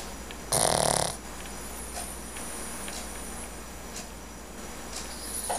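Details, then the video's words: Pet dog snoring while asleep and dreaming: one loud, breathy, rasping burst lasting well under a second, then only faint soft breaths over a steady low background hum. "Our Dog Snoring"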